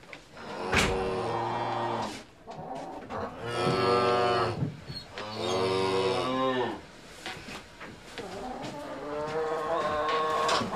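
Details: A cow (Bos taurus) gives three long, deep, harmonic moos, each lasting one to two seconds, the last drawn out and wavering; no other sounds stand out.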